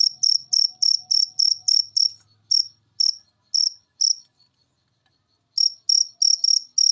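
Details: Cricket chirp master recording meant to get lazy cage birds singing: rapid high chirps about three a second, slowing to spaced single chirps, a pause of over a second, then a fast run resumes.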